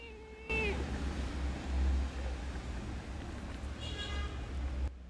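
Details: Sick, feverish stray kitten found in a park on 14 November 2021 during a stray-cat feeding round. It gives a short falling meow at the start and a fainter, higher meow near the end, over a steady low hum.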